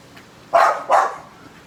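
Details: American Bully dog, said to be angry as a ball drifts toward it on the wind, producing two quick rough barks in close succession against outdoor background hiss.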